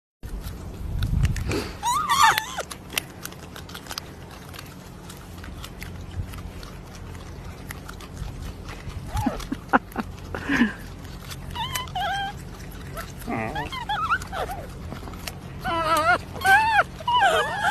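A marmot gives short, squeaky chirps and soft grunts in irregular bursts.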